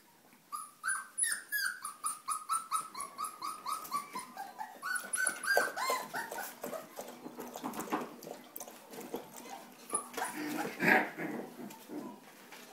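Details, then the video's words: Playing 3.5-week-old puppies, their mother Hustle joining in, indoors with a socialization recording of school kids playing; a rapid string of high, whiny yips and squeals, several per second, becoming rougher and noisier toward the end. "Puppies playing at 3.5 weeks"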